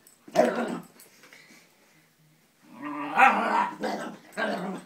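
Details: Wheaten Scottish Terrier, female, facing a fake Scottie dog as if it were another dog: a harsh bark, a pause, then a run of gruff growling barks close together, recorded indoors.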